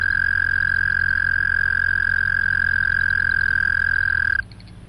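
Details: Canadian Toad giving a long monotone trill: one steady, even, mid-pitched purring note holds for over four seconds, then stops abruptly, leaving faint background calls.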